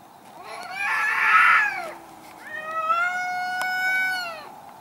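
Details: Two angry cats fighting in a garden: a loud, rough wailing yowl swells and fades, then a long, drawn-out harmonic howl that rises slightly and holds steady before dropping away.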